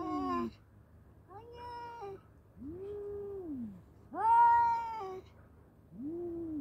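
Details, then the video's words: Fight between two male cats: a series of separate moaning yowls, some arching up then down, one louder and higher, spaced about a second apart. "Battle of Two Cute Male Cats .(Cat Voice)."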